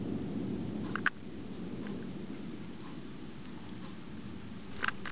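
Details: Quiet, muffled low rumble of room or outdoor noise with a couple of faint clicks and taps; no animal calls.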